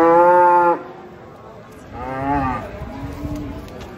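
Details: Hefty cattle unloaded from a truck give a loud, deep, steady moo lasting under a second, followed by a second softer, slightly rising low moo, with quiet background rumble.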